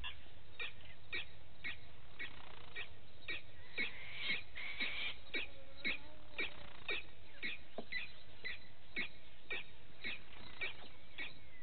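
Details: Vervet monkeys in the morning at Gowrie dam, a waterhole on Djuma Game Reserve in the Sabi Sand Wildtuin, South Africa, recorded by a live camera; sharp chirping calls repeated about twice a second over a low background rumble.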